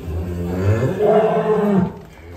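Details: Cattle at a farm pen in Indonesia, large fattened bulls raised for sale: a single low, drawn-out moo with rich harmonics lasting about two seconds, rising slightly then falling away.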